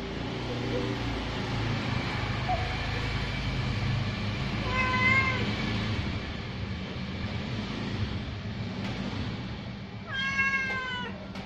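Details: Ginger cat calling at the pre-dawn sahur meal as it is fed. A short meow comes midway and a louder, longer falling meow near the end, over a constant low rumble and faint background murmur.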